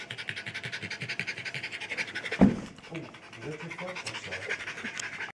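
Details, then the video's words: Norwich Terrier out of breath, fast rhythmic panting for the first two seconds, then a sharp thump and quieter irregular breathing mixed with a low voice. "out of breath"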